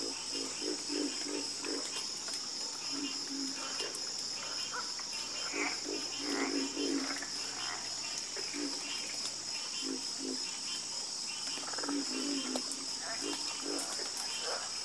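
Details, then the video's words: Frogs calling in a night chorus: low, pulsed croaks come in bursts of several notes throughout, set against a steady high insect-like hum that runs without a break. "Calming Sound Of Harmonious Frog Croaking"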